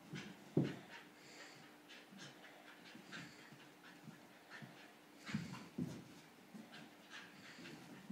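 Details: English Bull Terrier, filmed together with a pit bull; rapid soft panting and snuffling breaths, with two sharp snorting bursts near the start and again toward the end, over a faint steady hum.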